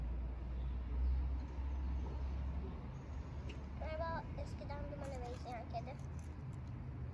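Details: Homeless stray kitten in Istanbul, fed by someone who feeds the city's stray cats daily, gives a short run of wavering, tonal meows midway, set against low traffic rumble and nearby Turkish speech.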